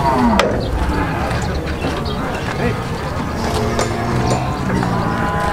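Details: Cattle jumping up onto a truck; a drawn-out, low, harmonic moo sounds partly masked by men talking nearby and a steady rumbling engine underneath.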